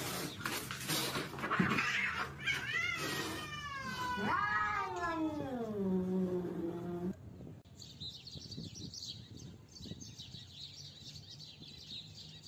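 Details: Fighting cat lets out a loud, wavering caterwaul that bends up and down before sinking into a low, drawn-out moan. Noisy scuffling comes first, then the yowl cuts off, leaving a quieter, hissy background.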